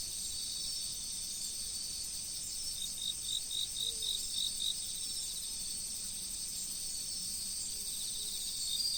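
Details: An autumn riverside insect chorus: a sustained high ringing trill, broken by a two-second series of crisp, fast pulsed chirps midway, against a low, even wash of flowing water.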